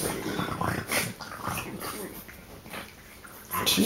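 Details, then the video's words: French bulldog snorting during rough play-biting with other dogs, three on one; rough broadband snorts and breathy bursts with a man's voice talking nearby. "French bulldog snorting biting three on one frenchie action"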